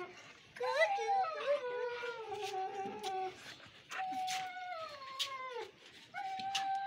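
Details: Siberian Husky puppies in Lahore, Pakistan, indoors, giving long drawn-out howls that slide slowly downward, three howls over about six seconds, with people talking in the background.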